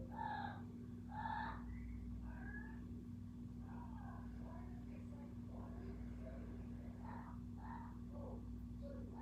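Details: Kiko, a cat, vocalising: two clear, tonal calls open the stretch, followed by softer, varied chirping and murmuring sounds at irregular intervals, all against a constant low hum.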